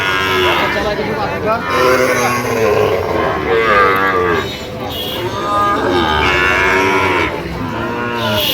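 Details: Sahiwal bull calves at a cattle market with a Dhaka farmer buying, 22 September 2025: many overlapping mooing bleats, rising and falling, nearly continuous over a crowd murmur.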